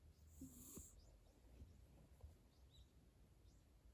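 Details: Domestic cat breathing: soft, low, snore-like rumbles with faint irregular puffs throughout, and a brief higher hiss near the start.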